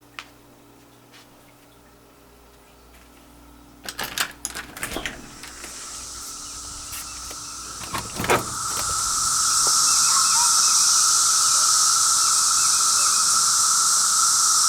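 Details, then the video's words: Cicadas on the fifth day of their noise, loud enough to hurt the ears; after quiet room tone and a few knocks and clatters, a hissing high drone swells in and holds steady with a thinner lower tone. "More Cicada Noise!"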